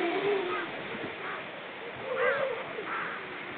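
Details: Seal talk recorded October 29, 2014: short low moaning notes at the start and again after two seconds, with a brief higher wavering note, over constant rushing background noise.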